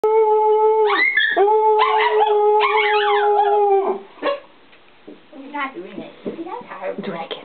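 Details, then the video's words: Four small mixed-breed pet dogs (shih tzu/poodle, pomeranian, chihuahua, Lhasa apso/pug) howling together as a pack: long sustained tonal howls overlapping for about four seconds, then fainter broken yips and whimpering howls. "Small pack howling"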